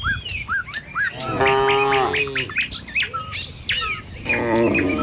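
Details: Morning village road with tame cattle heading to pasture in a herd. One clear, one-second moo stands out, with a fainter lowing near the end. Short, rising and falling bird chirps repeat around it.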